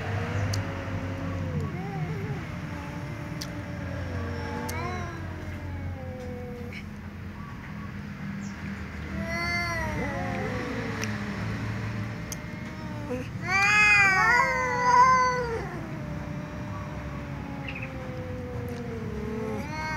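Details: A tom cat and a ginger cat trade loud meows before sharing a meal; a series of drawn-out wavering meows with a sharp, louder burst of overlapping cries midway, low traffic-like hum underneath.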